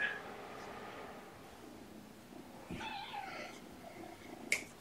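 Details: A mother cat with her kittens, surrendered together, heard indoors: a wavering, harmonic meow in the middle of the clip, softer background sounds and a sharp click near the end.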